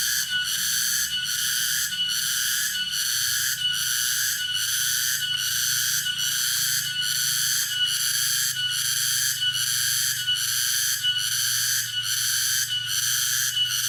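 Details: Tonggeret cicada in Dago, Subang, West Java, Indonesia, calling with an intense, high, grating drone that swells and dips rhythmically roughly every second, over a soft low background rumble.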